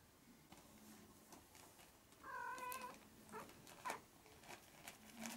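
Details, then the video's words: Maine Coon kitten, 20 to 25 days after birth, utters one level, wavering meow lasting under a second amid soft clicks and rustling handling noises. "Main Coon Kitten Part 2"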